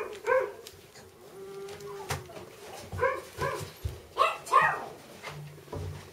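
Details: Labrador Retriever puppies, littermates, giving short harmonic yelps and whimpers in scattered bursts, several overlapping near four seconds, with soft background noise and faint voices.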